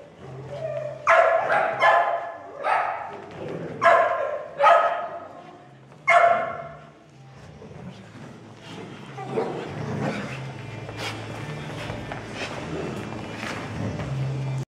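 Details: Playful barking from a Doodle and a Portuguese Water Dog at daycare, plus a little doodle; a quick cluster of loud barks in the first six seconds, then quieter rustling and low background hum.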